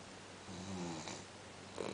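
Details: Winchester, a Cavalier King Charles Spaniel, asleep indoors and tired after a long walk, lets out one soft, low droning snore midway in a quiet small room.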